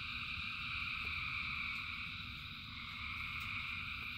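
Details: Thousands of frogs singing in rain form a dense, unbroken chorus, steady shrill layered buzzing with a deep rumbling undertone.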